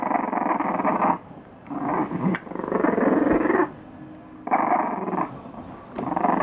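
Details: Playful growls from English Bulldog puppies aged three weeks, coarse grumbling bursts about a second long separated by quiet gaps, with a faint squeak near the middle.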